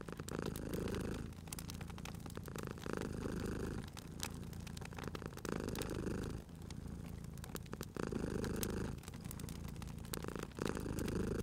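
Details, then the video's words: Domestic cat purring while sleeping near a crackling fire, the rough low rumble rising and falling in slow regular cycles about every two and a half seconds, with scattered sharp wood crackles. "Cute Purring Cat at a Crackling Fireplace"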